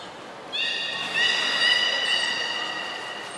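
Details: Beluga during a training session with Hodoi, Taanya and Mirai at Port of Nagoya Public Aquarium, 14 September 2019: a steady, harmonic-rich whistle starts after half a second, steps up once and holds to the end over a quiet background.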